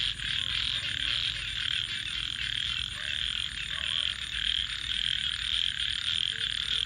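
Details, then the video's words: Frogs calling at night beside a campfire: a dense, unbroken chorus of high, rasping trills that pulse slightly, with faint low murmuring and wavering tones underneath. "Crackling Fire 🔥 and frogs 🐸 Sounds"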